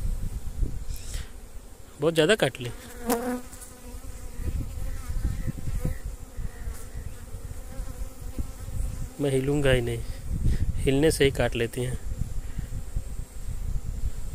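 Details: Honey bees at a beekeeping site in an area with many mustard flowers make a steady, low droning buzz with layered harmonics. Hindi speech breaks in loudly around the second and again near the ninth to twelfth seconds.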